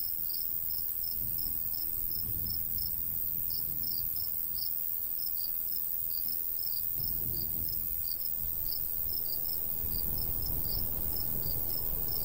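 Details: Several crickets chirp in the summer countryside beside a golden wheat field, their high, quick notes overlapping in a steady run of about three a second, while a light breeze rises and falls underneath.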